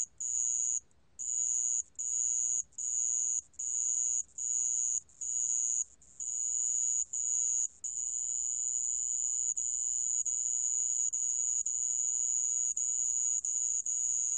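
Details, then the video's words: Sand cricket recorded in 2020 by Korea's National Institute of Biological Resources: shrill trill first broken into evenly spaced short bursts, then after about eight seconds running on almost unbroken, background otherwise still. "모래방울벌레, 여러번 듣기, 곤충소리"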